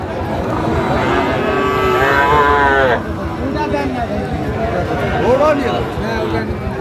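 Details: Friesian and crossbred bull calves at Raniganj cattle market, Dinajpur, on 1 December 2024; lowing moos with rising and falling tones amid a man speaking Bengali and market chatter.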